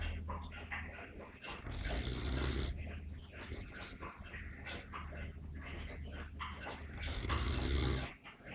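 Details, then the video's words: Sleeping Neapolitan Mastiff snoring: continuous deep, rumbling, rattling breaths that swell and fade steadily, with a rough, noisy texture throughout. "Snoring Mastino"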